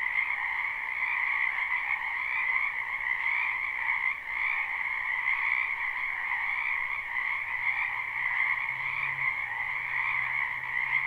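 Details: Spring wetland frog chorus recorded live: countless overlapping croaks merge into a continuous pulsing drone with a higher and a lower band, and a faint low hum creeps in near the end.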